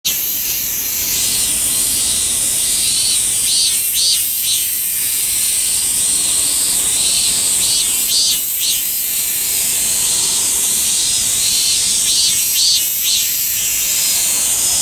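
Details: Min-min cicada (Hyalessa maculaticollis) song played at double speed to compare with the bear cicada; a dense, high, hissing drone with pulsing throbs recurring every few seconds, steady throughout.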